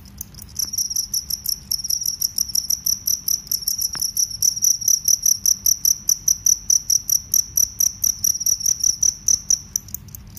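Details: Cricket, field or forest cricket, loud piercing trill of rapid pulses running almost without break, with a bright upper overtone and one sharp click early on.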